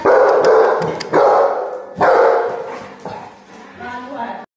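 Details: Saint Bernard. Loud, deep barks from a Saint Bernard come in bursts about a second apart, each broad and resonant. A person's voice is heard talking between and over the barking.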